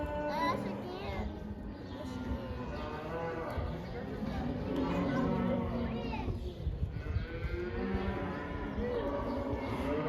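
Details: A herd of about 80 cattle let outside for the first time, mostly non-black animals, many overlapping low harmonic moos rising and falling throughout, with a dense background of bellowing and some chatter.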